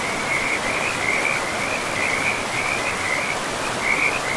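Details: Forest river frog giving a fast, sustained pulsed trill at a steady pitch throughout, rattling on without pause above the broad rush of running water.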